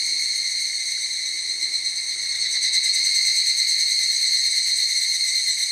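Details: A large group of evening cicadas (higurashi) in a forest sings in a dense chorus, a steady high ringing shimmer with a faint pulsing beat.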